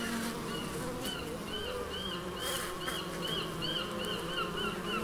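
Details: A low, steady bee buzz in the Biblical Gardens, Elgin, Moray, Scotland. Over it, a bird repeats short, high, arched chirps several times a second, throughout the recording.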